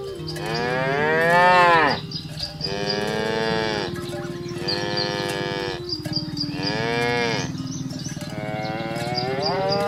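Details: Cows in a village herd being driven to the farm pen, mooing in a rapid series of long overlapping calls, each rising then falling, one after another with barely a gap, plus faint background music.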